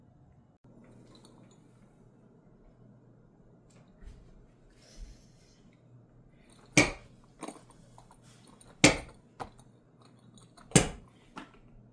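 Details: Sharp clinks of dishes, cutlery and glass ring out several times in a small indoor room over a low steady hum, with no animal voice heard.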